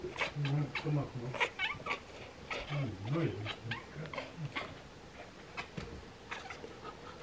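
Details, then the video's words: Two Bengal cats chirp and chatter at swallows getting ready to migrate, in quick, clipped bursts mixed with short meows. "Ekekek Bengal Cats Chat and Meow at Birds"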